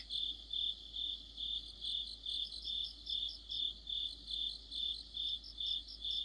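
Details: An autumn insect chorus led by crickets: bright, high trilled chirps repeat roughly every half second in an unbroken rhythm, with layered voices blending into a shimmering wall of sound.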